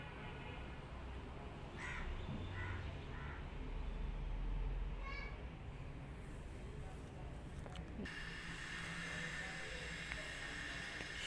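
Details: Rescued kittens hiding in a jacket for safety, treating a human as their mother; a few short, faint, high mews come around the second to third second and again near the fifth, over a steady low rumbling background.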